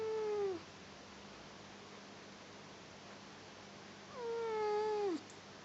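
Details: A newly adopted pet cat asleep and snoring indoors, each breath giving a thin whistled tone that glides downward, heard twice about four seconds apart over quiet room hiss.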